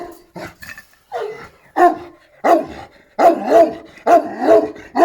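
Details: Šarplaninac giving loud, hoarse barks about once a second, some run together into double barks with a growly edge.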